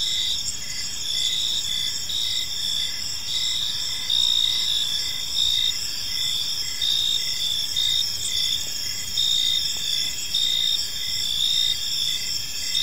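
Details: Crickets in a serene park at dusk keep up a bright, high, steady trill, punctuated by evenly spaced short chirps that repeat throughout, over a soft, constant low rumble of distant background noise.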